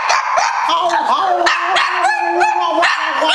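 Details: Angel, a pet female pug doing tricks indoors, answers an 'I love you' cue with a long wavering yowl that swoops up and down several times over three seconds, like a singing moan.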